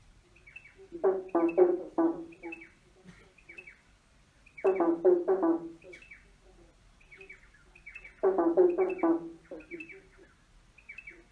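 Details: Frogs croak under a bridge in rough, pulsed bursts about every three and a half seconds, with faint higher chirps between.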